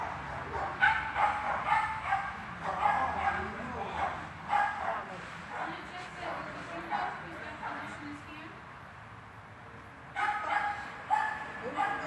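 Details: Swiss dog barking during a training session in an indoor hall, recorded 13 August 2021; sharp barks repeat in bursts through the first eight seconds, pause, then resume near the end, with speech nearby.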